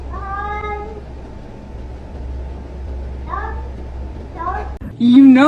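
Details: Domestic cat indoors giving a drawn-out harmonic meow at the start, then several shorter rising meows, with a steady low hum beneath and a louder final yowl.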